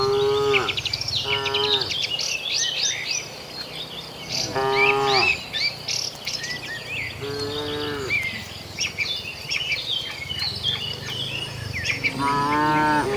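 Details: Tame cattle walking with their herd toward the shed give five short, moaning moos spread across the recording, some in quick pairs. Bird chirping continues above them, with a steady low hum underneath.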